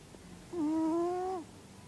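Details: A single drawn-out whistling snore from Minos, a sleeping cat, lasting almost a second: a steady nasal tone with clear overtones that dips slightly at the start and falls away at the end in a quiet room.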